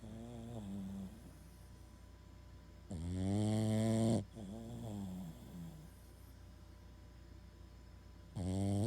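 A Boston Terrier snores in loud, rattling bursts with wavering, whistly tones between breaths.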